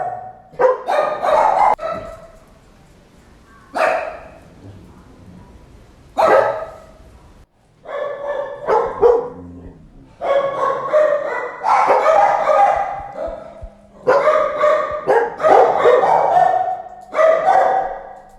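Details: Dog barking repeatedly in irregular bursts, some single barks and some rapid runs of several harsh barks, with short pauses between groups.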